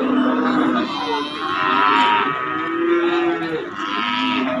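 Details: Cattle, calves and young bulls at a livestock market: long, drawn-out moos with rich harmonics that swell, waver and fade across several seconds, overlapping one another, with faint background music and speech.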